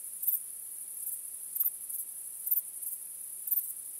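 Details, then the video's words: Night crickets on a starry night give a thin, high-pitched continuous trill, swelling into brighter chirps roughly every half to one second, soft and even throughout. "Cykanie Świerszczy 🦗 Gwieździstą Nocą"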